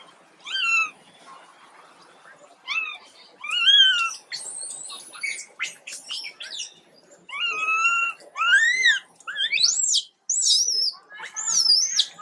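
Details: High, wavering cries from Quinton, an ill baby monkey, come in separate bursts with short pauses, some sliding up into thin, shrill squeals.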